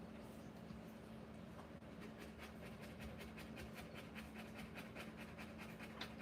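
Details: Rottweiler giving birth, rapid rhythmic panting that starts faint and grows clearer, around 150 breaths a minute, with a steady low hum in the room.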